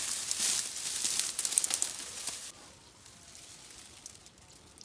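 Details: Dry crackling and sizzling hiss outdoors in a forest during bee-hive smoking, loud for two and a half seconds and then fading to a quiet crackle.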